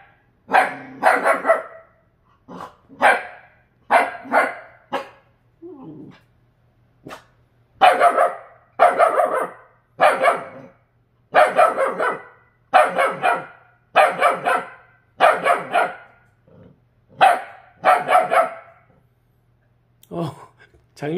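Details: Purebred Jindo dog, rescued from a slaughterhouse, barking at its own reflection in a refrigerator for the first time; loud, sharp barks in quick bursts of two to four, a short pause between each burst, indoors.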